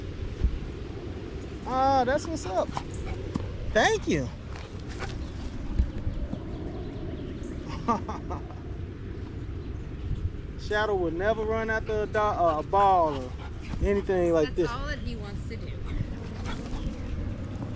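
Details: Evening 'wolf pack chat' of male dogs, including a Staffordshire Bull Terrier, at a park. Bursts of high, wavering whines and yips come early, then a longer cluster in the middle, between stretches of low outdoor rumble and a person talking.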